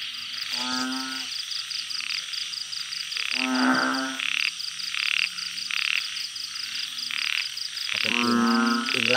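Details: Blunt-headed burrowing frogs in a backyard garden at night give three low, nasal, groaning calls spaced several seconds apart. A loud, pulsing insect trill and high chirps fill the background.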